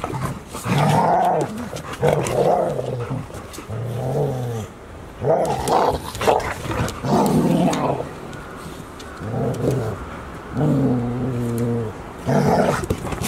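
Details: Golden Retrievers at Ain Village, filmed 11 October 2018 on puppy Chiro's 169th day, when Anan went home and Owl arrived: harmonic, throaty growls in repeated bursts roughly every second or two, with short pauses between.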